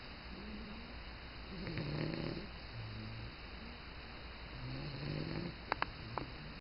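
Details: Bulldog asleep on its first morning in a new home, giving low, soft snores at irregular intervals against constant hiss, with a few sharp clicks near the end.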